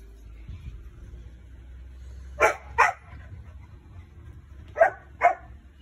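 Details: Poodle named Lauda, the Racing Dog, going crazy: two pairs of sharp, clipped barks, one pair midway and another near the end, each bark quickly followed by the next, over a steady low hum.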